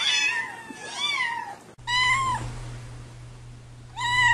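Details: Domestic cats meowing indoors: three drawn-out harmonic meows, the first wavering and falling, the others short and slightly rising, over a steady low electrical hum.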